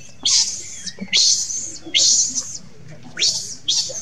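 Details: Young monkey crying and calling for its mother: five shrill, piercing screams, each starting with a sharp upward sweep and then holding high, coming roughly once a second with short quiet gaps between.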